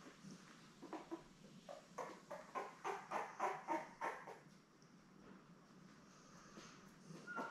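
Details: Labrador Retriever puppies, seven newborns born May 24, 2021, kept with mother Belle on a live puppy cam in early June: a rapid run of short squeaky cries, about four per second, swelling then fading, followed by quiet rustling.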